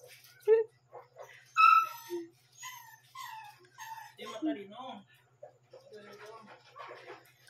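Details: Shih Tzu puppy aged one month and seven days, barking around 12 am and waking its owner; short, high squeaky yips and whiny notes come in irregular bursts while people talk nearby in a small indoor room.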